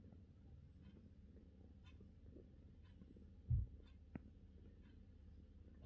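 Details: A relaxed British Shorthair cat purrs in a steady, low, continuous rumble that barely changes, with one soft thump midway and a faint tick shortly after in a quiet room.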